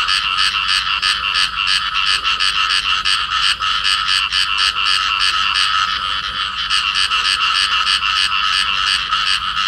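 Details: Field frog pair in amplexus, calling: loud, grating croaks in quick succession, about three each second, harsh and buzzy, forming an unbroken pulsing rattle with no background noise to speak of.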